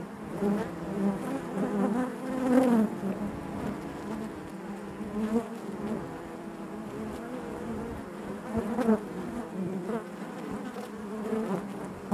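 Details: Honey bees humming inside the hive, a continuous layered drone with rising and falling wavers, a louder buzzing pass near two and a half seconds and another near nine, with light tapping clicks.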